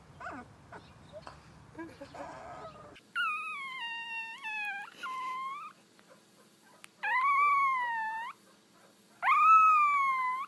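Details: Young puppy practising its howl: after a few seconds of rustling noise, three drawn-out, clear howls, each rising then leveling before fading, separated by brief pauses in a quiet room.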